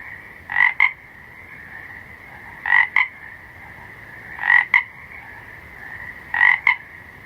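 A frog croaks in short double notes about every two seconds over a steady night chorus.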